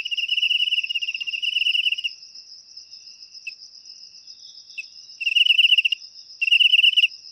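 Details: Cricket chirping, its sound used to chase rats out of homes naturally: a long pulsed shrill burst, a quiet gap with a couple of faint ticks, then two short bursts, all above a constant thin high trill.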